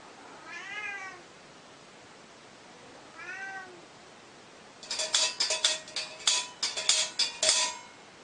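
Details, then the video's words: Hungry cat giving two short rising-falling meows about two seconds apart, followed by a burst of sharp, rapid clattering or tapping sounds in the second half. "Cat Staying Hungry"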